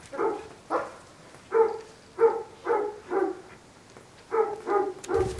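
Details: Bloodhound in foster care, playing and getting to know other dogs at the foster home; deep, full barks come in a quick series of about nine within five seconds, some paired, with short gaps between bursts.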